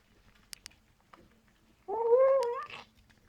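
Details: A 14-week-old Bengal kitten makes noise while eating: a few sharp clicks, then a drawn-out, nasal, whining tone lasting under a second that wavers and rises at the end.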